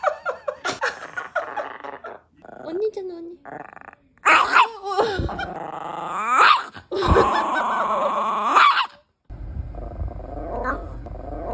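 A Bichon Frise makes odd, throaty whines and grumbling yowls that slide up and down in pitch.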